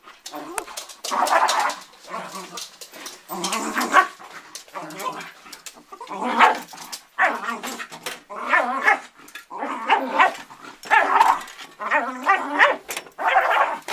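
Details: Pet dog going after an ironing board, with rapid rough barks and yelping growls tumbling in irregular bursts, mixed with human voices.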